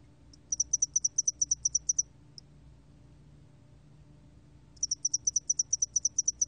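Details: High, rhythmic cricket chirping from a spotted-wing hairy cricket, recorded in Korea in 2020: a short burst of quick pulses, one isolated click, a pause, then another run of regular chirps.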